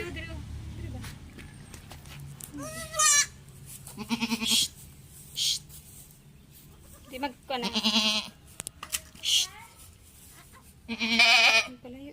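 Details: Young goats getting an iron injection cry out in loud, quavering bleats, four or five separate outbursts spread over the stretch, with human speech and laughter in the gaps.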